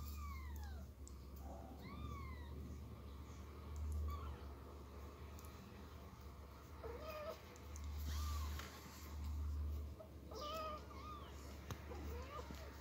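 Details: Persian kitten meowing loudly as its mother carries it from a box to the floor: high, downward-sliding meows in quick succession at the start, then further thin meows spaced over the next ten seconds, over a low indoor hum.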